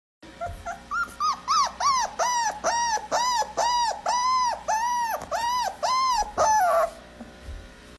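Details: A puppy gives a rapid series of high, arching whines that rise and fall about two per second, sounding confused.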